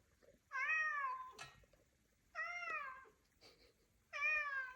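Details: A cat on Jeju Island that comes every morning to cry like an alarm gives three loud, drawn-out meows, each bending slightly downward, spaced roughly two seconds apart with quiet gaps indoors.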